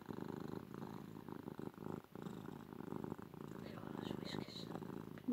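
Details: Cuddled female house cat giving a loud, sustained purr, low and rapidly throbbing with slight rises and falls between breaths, while a person whispers affectionately nearby.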